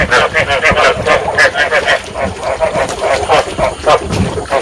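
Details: Breeding calls of rice field frogs from Vietnam, played to attract frogs for trapping: a short burst of many frogs croaking together, quick pulsed notes overlapping in an uneven rhythm.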